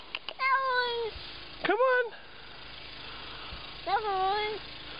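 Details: Cat meowing three times: drawn-out, slightly falling meows with a brief rising one in between, each lasting under a second, over a steady background hum.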